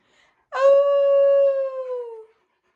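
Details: A single drawn-out howl from an Alaskan Malamute, howling for no apparent reason: a clear steady tone held nearly two seconds, sagging slightly lower at the end.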